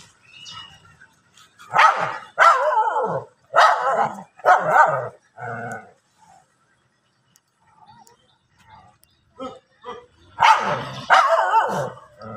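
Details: Dogs fighting on grass, giving loud harsh barks in two bursts: five rapid barks, a pause of about three seconds with faint yips, then another run of heavy barks.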